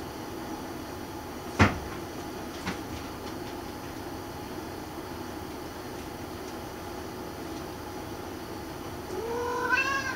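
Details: Munchkin cat being pestered by another cat indoors; a sharp knock early on, then near the end a short rising, harmonic meow over a steady low room hum.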